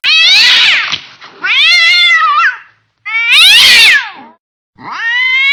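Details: Domestic cat in an angry mood, letting out four loud, wailing meows, each swelling and sliding in pitch, one rough and strained, with brief silences between.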